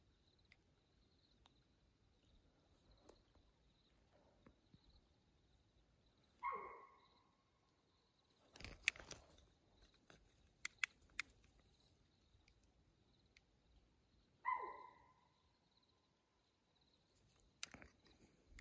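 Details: Mountain lion calling at 2:15 a.m. on June 7, 2024, on Houston Bros Trail in Arizona's Coconino National Forest: two short, tonal, slightly falling cries about eight seconds apart, with clicks and rustling between them.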